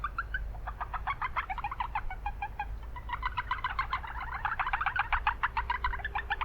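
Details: Japanese brown frogs at a city wetland, a near-continuous chorus of fast pulsed croaks from several animals, notes stacked in quick series, with heavy background traffic hum.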